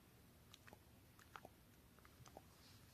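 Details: Elderly Shiba Inu, fifteen years seven months old, eating a treat set gently down indoors; soft moist bites and crunches come as scattered clicks over about three seconds in a quiet small room.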